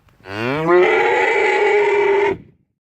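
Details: Single cow moo lasting about two seconds: it starts low and nasal, climbs quickly, then holds a loud, steady, brassy tone before cutting off abruptly.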